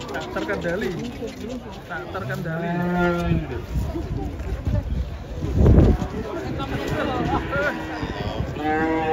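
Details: Cows coming down off a truck: a clear, long, low moo rising slightly then holding steady, followed by further bellows, with people talking throughout and a loud thump partway through.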